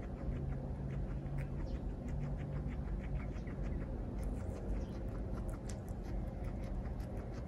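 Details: Pet female guinea pig that left her cage to stare at her owner, who was oversleeping past the usual 6:30 wake-up, gives short quacking calls in quick succession, over soft clicks and rustling.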